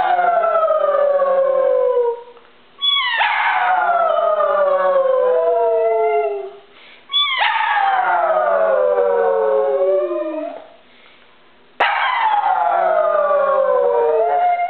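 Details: A pug, having barked at the doorbell, copies its owner's howling with long, wavering howls that slide downward in pitch.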